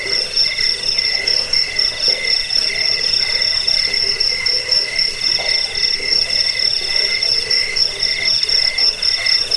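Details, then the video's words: Cricket sounds used against rats, as a sleep aid and for bird training: a steady shrill chorus of fast-pulsed chirps, about four throbs per second, unbroken throughout. "Suara jangkik pengusir tikus pengantar tidur"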